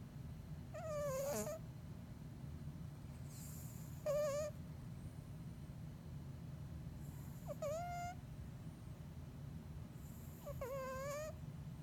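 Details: A Bengal cat deep asleep, snoring with a low continuous rumble and four whistling nasal squeaks that rise then dip, one every three seconds or so.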